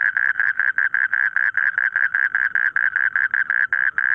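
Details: Croaking frogs in a rice field. Short, throaty pulses repeat quickly in a rough rhythm at a steady mid pitch. The background is quiet.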